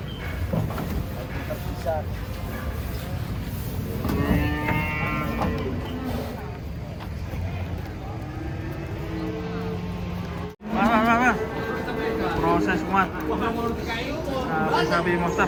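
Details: Giant cattle being unloaded, coming down from a truck: a low, drawn-out moo holds steady for about two seconds amid men's shouting, other brief harmonic calls and a constant engine rumble.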